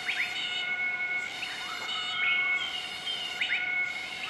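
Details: Southern white-cheeked gibbons in a group give their morning duet in Nakai-Nam Theun National Protected Area, central-eastern Laos, 20 March 2014. Rising, sliding whistles come in short bursts against a constant insect-like drone.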